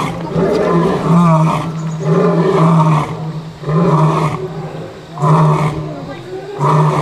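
A lion gives deep, throaty roars, repeated in strong pulses a little more than a second apart.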